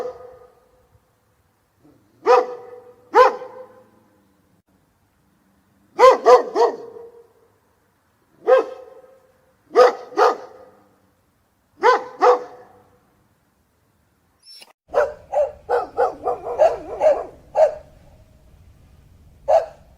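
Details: Steady dog barking with single and paired barks a second or two apart, then a faster flurry of yappy barks over a low rumbling background, ending on one last bark.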